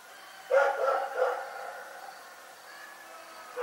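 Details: The dog Rex barking during the night: two loud barks about half a second apart, a lull, then the start of another bark cut off at the end.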